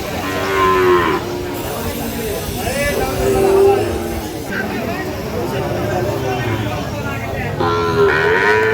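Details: Sahiwal bull calf at a Chuadanga cattle market, Bangladesh, June 2025; several drawn-out, harmonic moos spaced a few seconds apart, with background music and market din.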